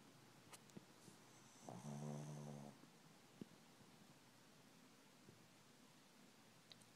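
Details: A sleeping pet dog indoors gives one low, buzzy, rattling snore lasting about a second. The rest is quiet, with faint soft clicks and rustles.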